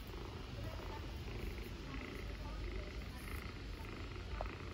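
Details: Purring from homeless ginger kittens in Istanbul, reluctant to let their caretaker leave; a low, constant vibrating rumble dominates, lightly overlaid by faint speech-like murmurs and small rustles.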